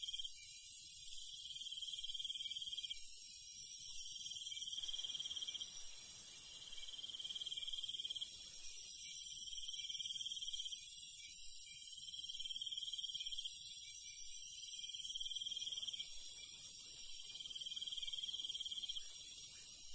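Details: At night in the countryside, crickets and other insects keep up a layered shrill chorus, with short pulsed chirping trills recurring about every two seconds and quiet low noise beneath.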